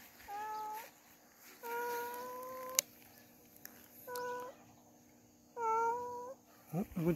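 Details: Domestic cat giving four drawn-out, steady-pitched meows, the second the longest at about a second, with pauses between them and a brief rustle at the end.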